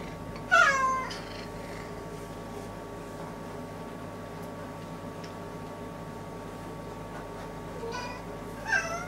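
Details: Domestic cat pacing busily back and forth in front of a toilet indoors, giving a wavering meow near the start and a shorter rising meow near the end, over a steady low hum.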